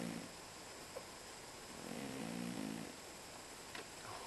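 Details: Sleeping pet cat snoring indoors: two soft, low, rasping breaths with faint harmonic bands, one at the start and a longer one a couple of seconds later, over steady room hiss.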